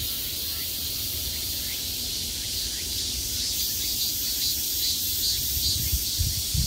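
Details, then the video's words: Cicadas at the height of summer, heard from every direction: a dense, steady, high-pitched buzzing hiss that runs without a break through the whole stretch, over a faint low rumble. "매미소리를 들으며 휴식. Cicadas's buzzing sound"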